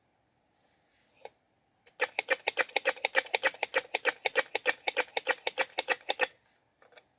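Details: Squirrel calling to find a mate: a loud run of harsh, rapid clucking pulses, roughly three to four per second, lasting about four seconds, preceded and followed by faint, thin, high squeaks in an otherwise quiet setting.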